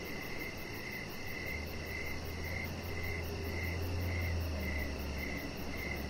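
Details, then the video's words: Evening cricket chorus heard from a deck with decoration lights. A chihuahua puppy rests nearby. Even chirps come roughly twice per second over a low droning hum, with a faint fast ticking high overhead. "3 Hours Of Chihuahua Puppy Laying On Deck with Cricket Sounds"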